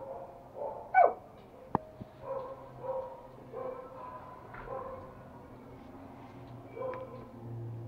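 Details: Playful Toy Pomeranian puppy, one of Pomo and Pomy, indoors in Kathmandu, Nepal, 7 January 2018: scattered sharp yips and short barks with sudden clacks and thumps between them.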